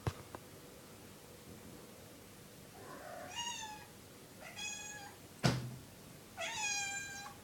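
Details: Kitten meowing at night, begging to be let outside: three clear, rising-then-falling meows, the last longest and most drawn out, with a knock between them in a quiet room.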